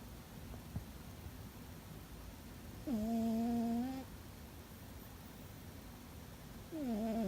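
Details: While sleeping, a house cat snores loudly, a nasal tonal drone held about a second that dips and then levels off. A second snore starts near the end, and a low, steady hiss fills the gaps.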